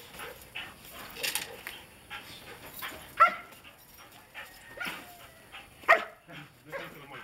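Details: Ekus, a Belgian Malinois from the Des Champs kennel in Mexico, recorded 14 February 2011, gives a few sharp barks, two standing out, amid quieter whimpery sounds and background voices.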